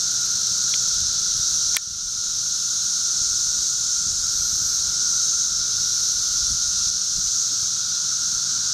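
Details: A steady, shrill wall of 13-year cicada sound in a Charleston, Illinois backyard, June 1, 2011. The high hiss and lower whine hold level, broken only by one sharp click early on.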